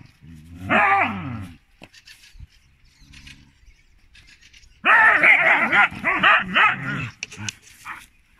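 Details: Female Siberian Huskies argue, letting out long, wavering howl-like yowls and grumbling vocal bursts.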